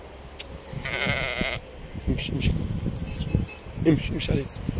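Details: Purebred Ossimi ewe giving one wavering, nasal bleat about a second long early on, while men talk and call to the animals throughout.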